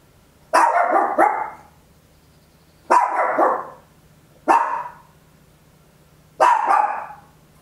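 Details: A tiny Papillon dog, recorded at home, gives sharp, loud barks: a quick double bark followed by three single ones.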